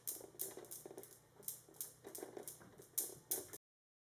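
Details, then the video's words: Kitten Panda with hiccups indoors: about a dozen soft, clicking jerks come in a steady rhythm roughly every third of a second for three and a half seconds, then silence. "Kitten Panda has hiccups"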